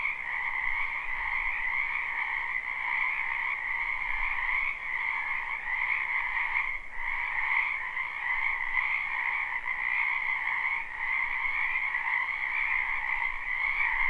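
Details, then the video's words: Many frogs croak in a spring wetland behind a house, recorded live without looping. A dense, unbroken chorus of high trilling voices hums steadily, with a brief dip near the middle before the chorus swells back to full strength. "Ambient Noise for Sleep Frogs"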